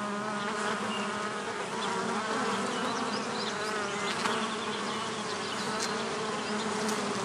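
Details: A continuous low hum of bees around a bee hotel, even and unbroken, with a few faint high ticks and chirps in the background.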